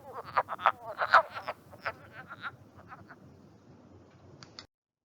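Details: Wood frogs (Lithobates sylvaticus) breeding in a vernal pool in Mohican State Park, Ohio, in early March, give short, raspy duck-like clucks in a loose mating chorus.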